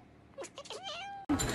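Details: Pet cat giving a drawn-out meow that wavers and then levels off into a steady tone, preceded by short chirpy notes and cut off by a sudden loud rustling noise.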